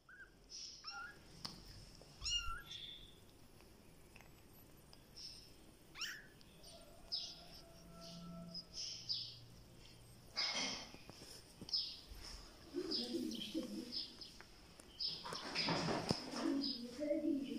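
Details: A Siamese mother cat gives low, drawn-out meows while carrying her kitten, amid high chirping bird calls.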